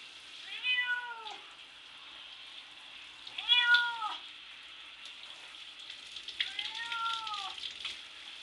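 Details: Domestic cat placed in a bath and meowing to get out while scratching at the shower door: three drawn-out, harmonic meows that rise then fall, roughly three seconds apart, over a steady hiss of running water.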